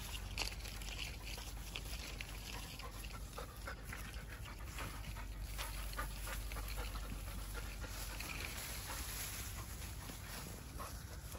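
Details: Labrador Retriever that loves persimmons pants hard on a walk, stretching and jumping for fruit out of reach high up. Rapid, rough breathing runs through the whole stretch against a constant low outdoor rumble.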